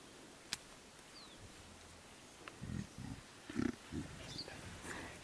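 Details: Mountain gorillas in Volcanoes National Park, Rwanda, July: a silverback grooms a juvenile, then the group moves off; a quick run of low, rough grunts with a few sharp snaps nearby.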